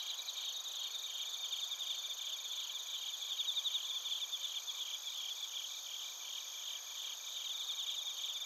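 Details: A chorus of bell crickets and other crickets in Narita, Chiba, Japan, TASCAM Portacapture X8 recording: constant high shrill tones under rapid, buzzy trilled pulses that swell mid-way, then settle into even ringing.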